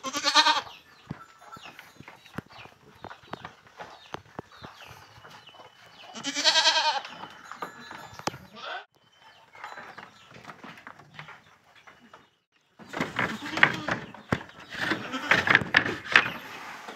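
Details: Young fullblood Boer goats, kids kept in a farm pen in Blitar, Indonesia. Two loud, quavering bleats about six seconds apart, with quiet pen rustling between them. Later comes a burst of clattering and shuffling noise.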